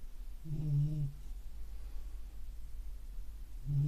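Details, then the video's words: Sleeping beagle snoring indoors, a low droning rumble with faint harmonics, one snore early and another starting at the end, quiet room noise between. "ビーグル いびきかいて寝てますｗ"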